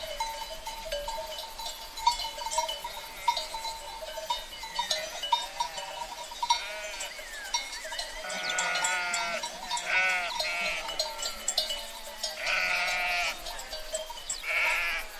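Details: Sheep in a herd bleating, quiet scattered calls at first, then a run of loud, wavering, overlapping bleats in the second half, over a continuous ringing hum and occasional clinks.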